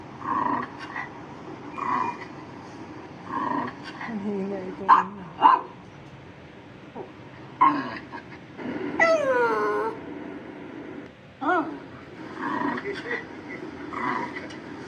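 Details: A Shih Tzu reacting to different sounds gives a few sharp, high yips and short barks between stretches of people talking.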